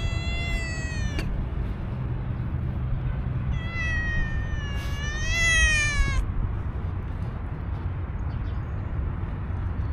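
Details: Tuxedo cat with an angry voice, no relationship with an old cat: a short meow, then a long, drawn-out wailing meow that rises and falls over about three seconds, over steady low traffic rumble.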